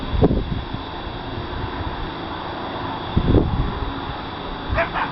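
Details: Just after 12:30 AM on 17 November 2013 in Fort Worth, Texas, an animal behind a house gives short, sharp barks a few seconds apart over a low rumble; the recorder was unsure of the caller; Coyote.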